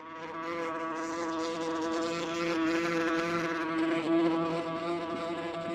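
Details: Wasp recorded with 8D technology: a steady, droning wing buzz with a strong low hum and a stack of even overtones, gently swelling and fading in loudness throughout.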